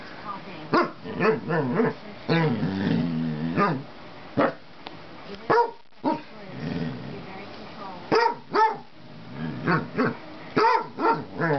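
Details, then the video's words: Basset hound pleading for a cat's friendship, mixing quick bark bursts with long, wavering, talkative grumbles and moans, while a person's voice is heard faintly in the room. "Boomer (basset hound) begging for Marcels friendship"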